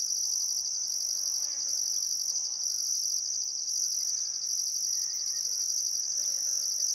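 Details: Crickets along the Barcoo River in Welford National Park, Outback Queensland, chirping at sunset on a still summer afternoon; piercing continuous trill with rhythmic upper pulses, and scattered soft bird chatter and whistles lower down.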